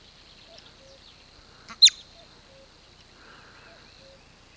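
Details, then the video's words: A bobak marmot near the village of Velyka Shapkivka, Kupiansk district, Kharkiv Oblast, Ukraine, gives one sharp, high whistle as an alarm call, signalling danger. "Бабак Степан сигналізує про небезпеку"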